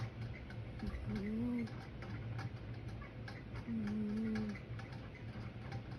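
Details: Sleeping pet cat snoring indoors: two low, steady whistling tones with a faint wavering upper line, each under a second long and spaced about two and a half seconds apart, over the constant hum and ticking of a ceiling fan.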